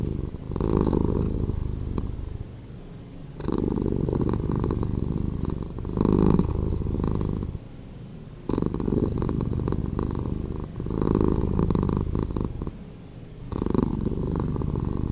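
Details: Slowed-down purring of a house cat, a deep continuous rumble that swells on each breath and fades in short lulls, repeating roughly every two to three seconds.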